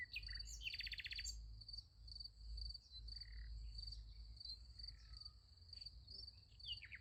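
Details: Sunflower field at night with crickets giving a high, rhythmic chirp about twice per second; a quick rattling bird burst opens the passage, with faint scattered calls and a low background drone.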